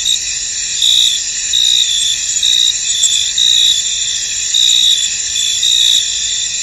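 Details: Misty field at rest with crickets singing: shrill steady trill underneath, louder chirp bursts recurring close to once per second, no other sounds clear.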